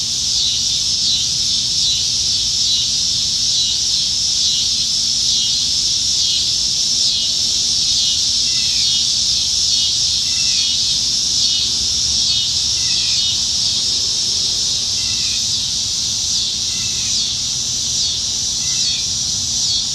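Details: Many cicadas singing in trees on a summertime evening in Nebraska, July 2019. A continuous piercing high drone pulses gently throughout, while faint short lower chirps appear now and then beneath it.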